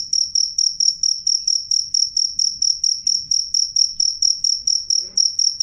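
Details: Clear, loud cricket chirping: a regular run of sharp high pulses with a thin overtone above, steady throughout, a small knock near the end and faint low background noise.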